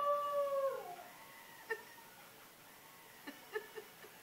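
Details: The end of a howl from the dog Gamble trails off and slides downward in the first second. Quiet follows, broken by a few soft clicks and taps.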